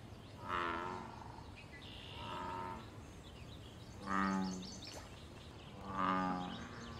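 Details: Wild American bullfrog in a pond giving loud, deep, droning harmonic calls linked to mating, territory and fighting; four throaty bellows, each about a second long, repeat roughly every two seconds over soft background hiss and faint bird chirps.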